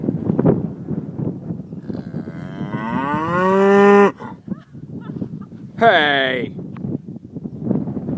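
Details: Cows at Tjelta, Norway: one long, deep moo swelling and holding for about two seconds, then a shorter, higher moo after a pause, with a person talking and calling out nearby.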